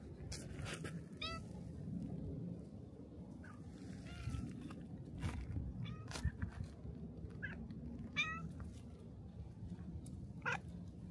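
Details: Black cat at a shrine, coming to greet a visitor at the torii gate; a few faint, rising, harmonic meows spaced several seconds apart over a steady low outdoor rumble.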